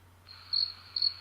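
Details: Real recording of crickets, mostly one cricket, played back in a classroom and lacking low end: a steady high tone begins, then two brighter pulsed chirps follow about half a second apart, over a faint low hum.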